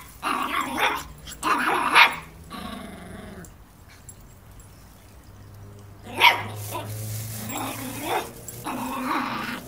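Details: Border Terrier puppy confronting a broom indoors: short rough growling bursts with harsh yelping barks, in clusters near the start and again after a quiet middle stretch, with a faint low hum underneath.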